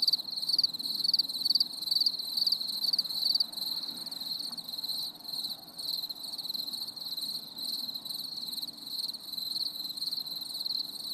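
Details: Stormy summer evening cricket song: rhythmic high chirps about twice a second at first, fading into a steady continuous shrill trill.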